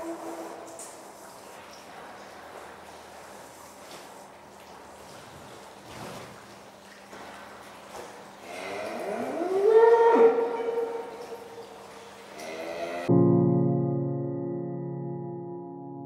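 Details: Norwegian Red bull 12032 Thorland, bred at Fitjar, Norway: after quiet barn background, a drawn-out harmonic moo rises and swells near ten seconds, then music starts and carries to the end.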